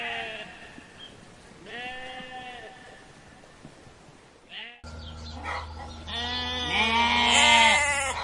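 A lamb gives a string of wavering, nasal bleats, several in eight seconds, growing louder toward the end over a steady low hum.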